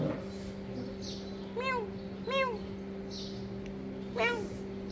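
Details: Little kitten catching lizards for food gives three short meows, each a quick rising-then-falling arc, spaced about a second or two apart over a steady low electrical hum.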